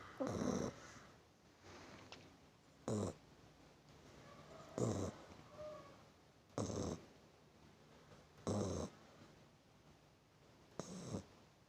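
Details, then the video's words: Puppy asleep and snoring: raspy, rough snore bursts repeating roughly every two seconds, with soft low breathing between them. "anak anjing ngorok"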